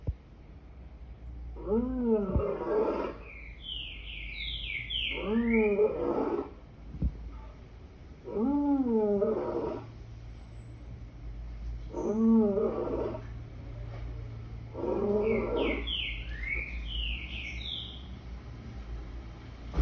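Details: Lion giving a series of five moaning roars, each a stack of descending harmonics lasting about a second, spaced roughly three seconds apart, with bursts of high bird chirping between them.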